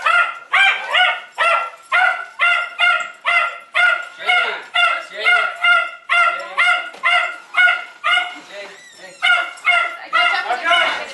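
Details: A Jack Russell Terrier named Jay, called annoying and needy, yelps without pause: ringing, high-pitched barks repeated rhythmically about twice a second for the whole stretch.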